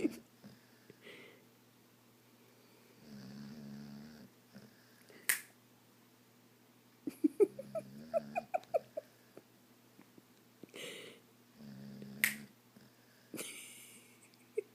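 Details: Wendy, a female dog, keeps snoring though awake with eyes open; three long, rumbling, buzzy snores spaced several seconds apart, with the middle one breaking into rapid fluttering clicks, plus sharp taps and snaps in a small room.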